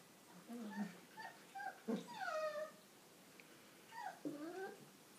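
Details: Five-week-old Old English Sheepdog puppies from an A-litter give a string of thin, falling whimpers and squeals, several slurring downward in quick succession, separated by short pauses with quiet room noise between.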